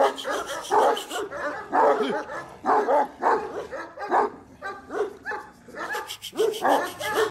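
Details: Dog barking in a loud burst of harsh, rough barks, several falling into whiny, yelping tones, repeated about every half second to a second, with a brief gap near the middle and background noise throughout.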